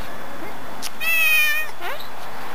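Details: A neighbor's male domestic cat, recorded September 18, 2013, meowing insistently: one loud, drawn-out harmonic meow lasting about half a second, with a woman's soft baby-talk voice around it.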